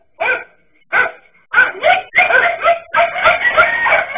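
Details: Dachshunds confronting a king cobra bark sharply: two isolated yaps, then rapid bursts of overlapping, strained barks that run almost continuously toward the end.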